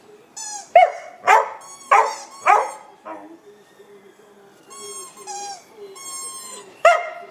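A Border Collie sings in rising, wavering whines and yelps alongside sharp squeaks from a toy.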